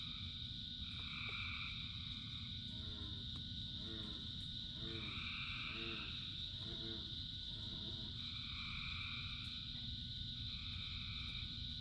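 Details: Frogs calling in rain: dense chorus of steady high trilling bands in overlapping layers, with a run of low, rapidly pulsed croaks in the middle section, all over a constant broadband hiss of rainfall.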